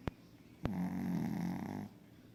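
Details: A Pekingese snores in its sleep, a single drawn-out throaty rattle lasting just over a second, preceded by two brief knocks in an indoor room.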